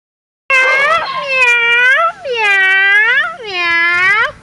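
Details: Playful Beagle puppies; three long, drawn-out whining cries with bending, wavering pitch, each about a second long, following a brief silence at the start.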